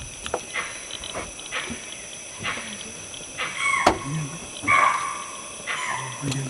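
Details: Near Kabini, a deer gives sharp, repeated alarm barks about once a second after hearing a leopard and tiger fighting in the background, with people talking.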